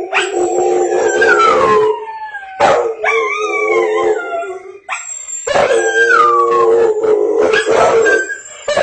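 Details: A Rottweiler howls in long, wavering notes that slide downward, howling at a Swiffer commercial on television, whose sound is heard underneath.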